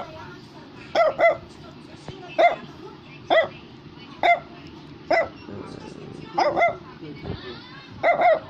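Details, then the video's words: Brussels Griffon barking steadily, a bright clipped yap or quick pair about once a second, with light music playing and a person talking. "Brussels Griffon is Barking"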